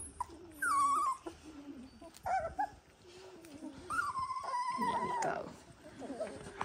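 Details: Young Dalmatian puppies, eighteen days old, letting out a few drawn-out tonal whines, one long and gently falling, separated by quiet rustling pauses.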